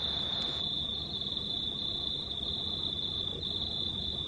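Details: Crickets at night under a near-full moon on 19 March 2019, a steady high-pitched continuous trill holding one shrill pitch throughout, over a low broadband background hiss.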